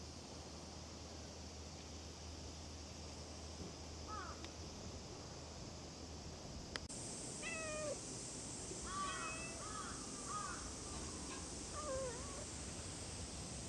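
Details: Cat meowing outdoors: a series of short, faint, wavering meows with bent, rising-and-falling tones start after a few seconds and cluster in the second half, over a steady background hiss and low rumble.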